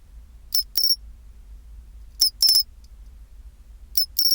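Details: Pine cricket at 24°C singing its chinchirorin call: three high, clear metallic phrases, each a quick tick or two followed by a longer ringing trill, spaced about 1.7 seconds apart over a quiet low hum.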